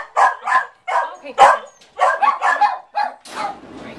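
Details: Scout, a 3-month-old female Yorkie puppy rescued from animal control by the American Animal Rescue Society in the Chicago area, gives a quick run of about eight sharp, high yapping barks in four seconds, unevenly spaced, with brief gaps.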